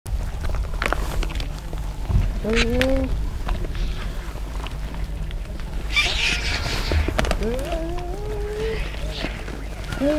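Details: A clan of hyenas feasts on a wildebeest carcass, fighting among themselves and with vultures: short tonal, harmonic cries that rise and bend, several in a row after the midpoint, over a steady low rumble with scattered scuffling noises.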